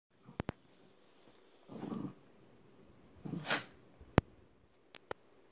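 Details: Shiba Inu play fighting: a low rough growl near the two-second mark, then a sharp snort-like burst, with scattered clicks and knocks from the scuffle.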